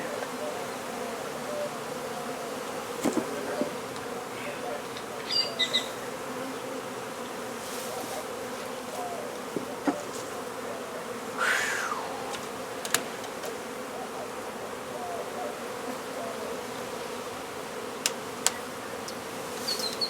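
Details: Honey bee colony during a hive removal and relocation in Brownsville, Texas, with the queen located: a dense, continuous buzz of many bees holds steady throughout, broken by occasional sharp clicks and taps from the work.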